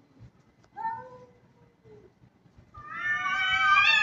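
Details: Kitten in an aggressive mood, meowing: a short falling meow near the start, a faint low wavering note, then a long loud rising-and-falling high meow rich in overtones closing the clip, over soft background rumble.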